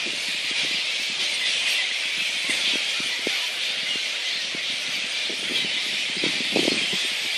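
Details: Flying-fox megabats at Boonah, Queensland, Australia, recorded 02/01/2014: a dense, unbroken wash of high shrill squealing and chatter, with scattered short lower clicks and squawks throughout.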